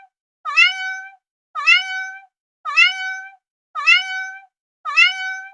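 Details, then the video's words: Five insistent cat meows at a steady pace of about one a second, each opening with a quick dip and swell before holding a level, bright tone, separated by silence. "12 minutes of random cat sounds"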